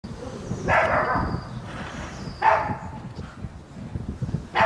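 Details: Zoe, a Chihuahua that dislikes the sound of lawnmowers, gives short mid-pitched barks, one around the first second and another near the halfway point, over a steady low rumble of background noise.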